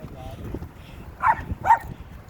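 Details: Barking dog heard as two loud, abrupt barks close together near the end, following a stretch of quieter murmuring human talk and low background rumble.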